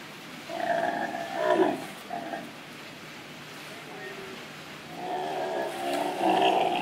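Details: A male sea lion at an aquarium gives drawn-out, wavering, harmonic moans in bursts, rising and falling like a rough song.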